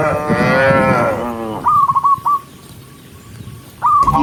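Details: A herd of tame cows walking along a forest road while being driven, one giving a deep, drawn-out moo that slides lower at the end, followed by short, clipped, high notes and quiet gaps.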